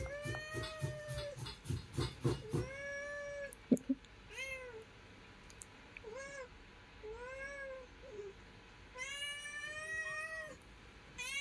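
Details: Domestic mother cat and kitten together; several plaintive meows, some lower and drawn-out, others high and arched, opening with a burst of rapid tapping and a fast chattering sequence, then spaced calls about every second.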